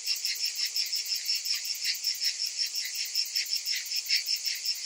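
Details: Many cicadas calling in summer, a sharp, hissing buzz with a rapid throbbing rhythm of roughly three beats a second, steady throughout.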